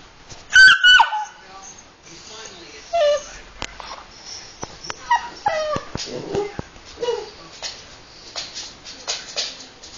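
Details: A baby Basset Hound gives high, thin squeaks and whimpers that slide downward in pitch, a squeak that later became a hefty adult "Arooooo".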